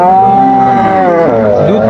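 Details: Cow at Aftabganj cattle market in Dinajpur, Bangladesh, on 21 June 2025, a cow offered for sale with her calf: one long steady moo lasting over a second, then a falling, wavering end, with market noise behind.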